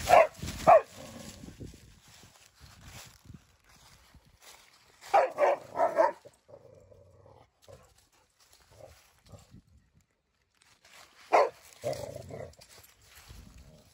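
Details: Rescued dog Bella with Samson the Boxer and Odin the German Shepherd playing together at home; short harsh barks come in clusters of two or three, with quieter growling and rustling between bursts.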